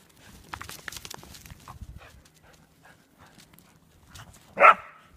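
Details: Whippet at home, with soft rustling and shuffling for several seconds before one loud, abrupt single bark near the end.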